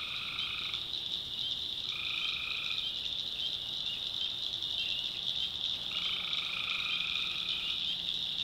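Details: In the backwoods swamps of North Carolina at night, tree frogs give a few drawn-out, reedy calls lasting about a second, some grouped closely, beneath an unbroken, intense high-pitched chorus.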